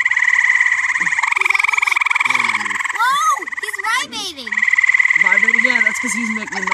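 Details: A frog chorus by a pool gives fast, rattling pulsed calls, briefly overlapped by a person's voice.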